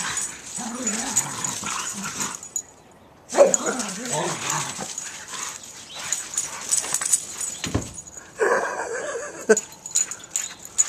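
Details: Two boxers, Sophie aged two and Jake, a seven-year-old boxer/lab mix, romp in snow on Christmas morning; wavering low play growls rise in two bouts amid crunching snow, scuffling and a person calling to them.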